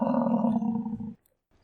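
An American bison gives a deep, rough, roaring bellow lasting about a second, then falls silent.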